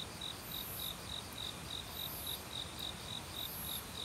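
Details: Autumn cricket in the woods gives evenly spaced, high-pitched chirps, roughly three or four each second, while faint higher insect buzzes recur and a gentle hiss fills the background.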